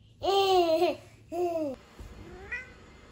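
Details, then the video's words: Domestic cat in a household with a Norwegian Forest Cat and a Ragamuffin, being crept up on by her daughter; two drawn-out, slightly falling meows, the second shorter, then a faint, brief higher call near the end. "A cat sneaking up from her daughter."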